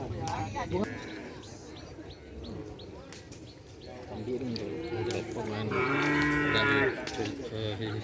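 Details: Small cattle at a gathering event giving one loud, low moo of about one second, amid steady chatter from people.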